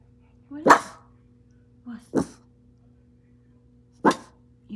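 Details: A Boston Terrier gives three sharp, gruff barks about a second apart at a clothes dryer, "protecting" the family, over the dryer's steady machine hum.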